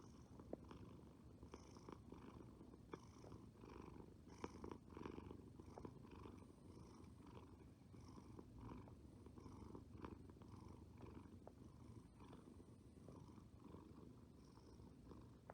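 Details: Close, even purring from a resting cat, a deep continuous rumble cycling with its breathing roughly every one to one and a half seconds, with soft breathy hiss and faint clicks throughout.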